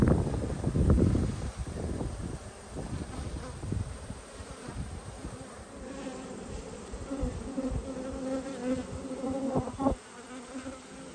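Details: Honey bee colony opened for a hive inspection, 19/3/22: a low humming drone with a clear overtone swells in the later seconds, preceded by bumps and rustling from handling the hive.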